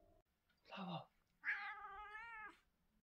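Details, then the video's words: Daytime meow from a British Shorthair cat: a brief rough sound, then one clear, steady, tonal meow lasting about a second that ends with a slight upward lift, in a quiet indoor setting. "British cat meowing, cat sound"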